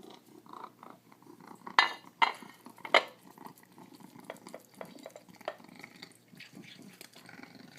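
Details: Still-feral pet pig feeding indoors, making piggy noises while it eats: a few short, harsh, squeaky chirps near the middle, over soft snuffling and chewing with faint clatter.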